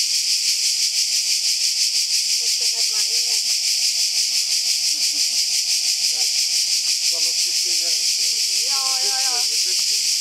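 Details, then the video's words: Very loud cicadas along a secret path on a mountain near the sea, a steady high, hissing buzz that pulses about three times a second without a break, while people talk quietly beneath the din. "Loud cicadas on a secret path"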